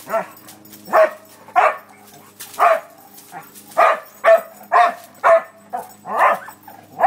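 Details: Dog at play giving loud, rough barks roughly once a second, each bark short with a slight upward yelp at its start.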